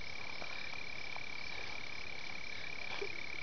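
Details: Melanophryniscus aff. tumifrons, a red-bellied toad still awaiting formal description, recorded in Gravataí, Rio Grande do Sul, Brazil, around amplexus and spawning. Individuals gather explosively at temporary running water in heavy rain. A continuous thin high trill persists over broad noise and scattered taps.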